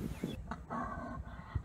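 A bull elk bugles, a brief high whistled tone over low, rough grunting.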